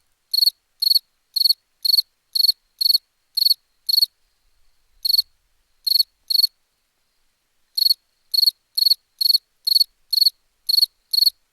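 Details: Cricket chirps in quick, regular trains of short pulsed bursts, about two per second, broken by a few pauses of a second or more; otherwise silent surroundings.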